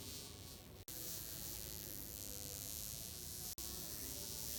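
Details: A burning wasp with droopy wings, unable to fly, gives a continuous, dense buzz that stays steady, with two brief dropouts.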